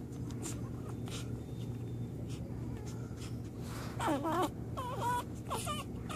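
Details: American Pit Bull Terrier on its first day: after a few quiet seconds, bursts of wavering, high whimpering whines rise and fall in quick wobbles, set against a steady low rumble.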